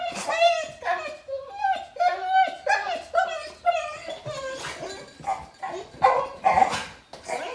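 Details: Thor, a German Shepherd Boxer mix recovering from surgery, whines indoors because he may not go for a walk: a run of drawn-out, tonal whines rising and falling in quick succession, with a person talking to him.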